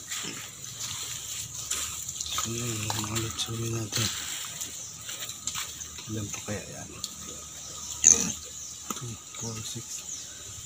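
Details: Native pigs kept for breeding give a short run of deep, harmonic grunts midway through, over steady hiss, with people talking nearby and splashing water.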